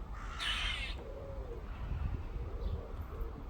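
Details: A squirrel in a back-garden tree gives a single harsh, raspy call over a low background rumble.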